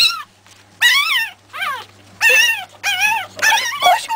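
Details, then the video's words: Three-week-old Pekingese puppies from the Terasroos MJ litter give high, wavering whimpers and squeals in bursts, each cry arching up then sliding down, with short quiet gaps and a faint low hum underneath. "pekingese MJ litter 3 weeks old"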